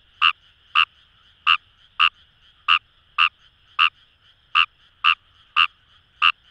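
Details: Paddy-field frog chorus in Itoshima, Fukuoka, Japan, with Fejervarya kawamurai prominent: sharp, evenly loud croaks repeated roughly twice per second against a steady hum of distant calling frogs.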